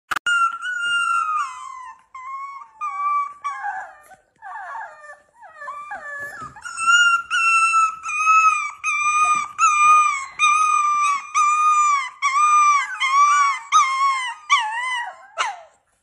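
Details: A Standard Schnauzer dog in below-freezing weather in Tampa, Florida, gives a long run of high, wavering howls and whines, each sliding up and down, repeated roughly every second in a steady chain with brief pauses, indoors.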